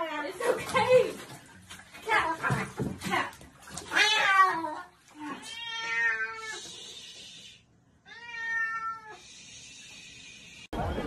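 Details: Domestic cat giving two long, drawn-out harmonic meows, the first wavering and the second steadier, after a stretch of human talking that fills the opening seconds.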